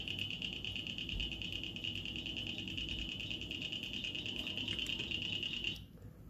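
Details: A chorus of cricket frogs in Iowa, heard later in spring as it warms, gives fast, metallic clicks like steel balls knocked together, blending into a ringing chorus; they call for mates, louder and more numerous as it warms.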